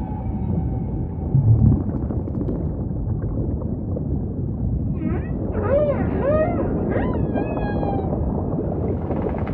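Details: Song of a humpback whale over a constant deep ocean wash: after a quiet stretch with a faint steady tone, a cluster of arching upswept whoops, short rising chirps and a high level whistle-like note follows.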